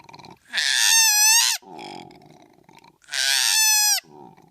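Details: Young koala chased down from a tree, giving two long, loud, wailing cries. Each is bright and harmonic and ends in a downward slide, and the cries are separated by low, rasping, grunting breaths.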